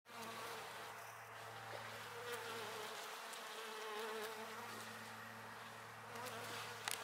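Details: A western honey bee with a leg stuck in a common milkweed flower buzzes steadily, a low droning hum with a clear fundamental and rich overtones; Kalamazoo, Michigan, June 26, 2018.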